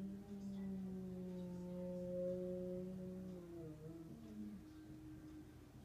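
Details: Diesel, a dog, howling at a monthly emergency siren test on 3-12-2016: a long, steady, harmonic-rich tone held for about three seconds, then wavering and sliding downward near the end, with no other clear sounds.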